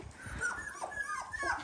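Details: Eighteen-day-old Dalmatian puppies whining in a litter: several high, sliding squeals that rise and fall in quick succession, with low thumps and rustling beneath.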